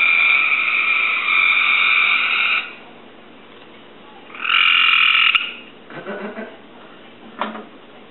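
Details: A pet Cope's gray treefrog sings in response to a recording, giving harsh, fast, buzzy trills in bursts of one to two seconds.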